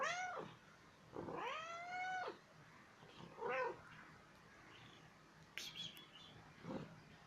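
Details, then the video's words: One-year-old female pet cat indoors, playful and asking for petting and play, gives four meows: a short one, then a long drawn-out meow rising and falling, then two brief chirpy meows spaced a few seconds apart. "Funny little CAT that makes CUTE sounds"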